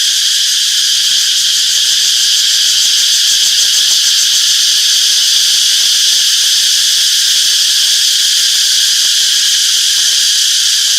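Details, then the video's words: Cicadas chirping in a peaceful summer forest: a steady, dense, high-pitched buzzing drone that holds without pause, with a faint shimmering pulse and no other clear sounds. "Relaxing Cicadas Chirping Sounds - Peaceful Summer Forest"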